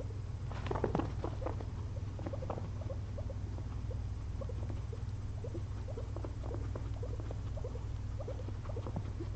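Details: Napping pet guinea pigs, two, after a long day munching frozen blueberries: a cluster of louder squeaks early on, then softer intermittent chirping notes, all over a continuous low-pitched hum.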